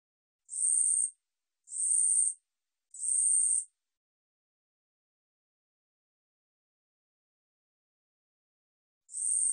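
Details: Katydid (우리여치) song from Korea's National Institute of Biological Resources, 2020: three high, dry buzzy bursts about a second apart. A long silence follows, then a fourth buzz at the end. No other sounds.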